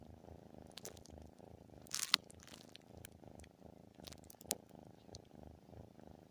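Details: Very loud domestic cat purr, snore-like, rolling on as a continuous low throbbing rumble, broken by a few sharp clicks and a brief burst of rustling.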